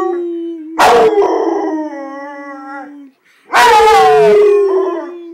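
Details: A 7-month-old male Rottweiler gives long, sustained howls that slowly slide downward in pitch, with brief pauses between; the owner says he is howling because he is mad at him.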